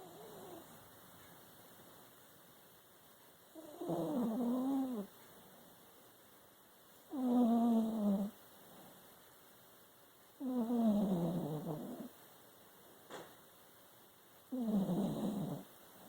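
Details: Pet dog snoring: four drawn-out, rough, low snores, each about one and a half seconds long with a slightly falling tone, repeating every three to four seconds over a quiet steady background hum.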